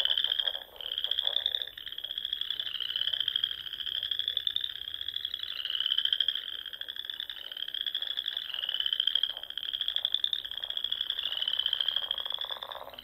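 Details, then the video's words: Frogs singing in spring at dusk among the rolling dunes and small lakes of the Nebraska Sandhills: a dense chorus of high trilled pulses, rising slightly in overlapping waves, with lower rapid clicking bursts beneath. "RELAXING SOUNDS OF FROGS"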